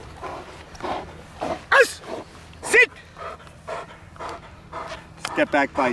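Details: Large, powerful male German Shepherd, a rated working and show dog, in training: three sharp harmonic barks rise in pitch between steady rhythmic panting, with a handler's spoken commands around them.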